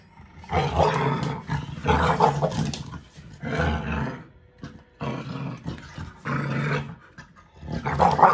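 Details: Playful tug over a toy between an American Bully puppy of five months and a five-year-old American Staffordshire Terrier: repeated harsh growl bouts, about six in all, rising and falling with short silent breaks.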